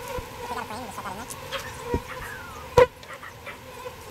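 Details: Bees being rescued from a birdhouse and moved into a proper bee box give a steady humming buzz with wavering overtones. One sharp knock from handling cuts through near the end.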